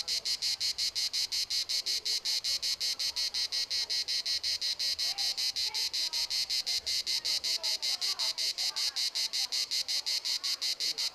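A cicada sings a loud, shrill buzz pulsing rapidly and evenly, several beats each second.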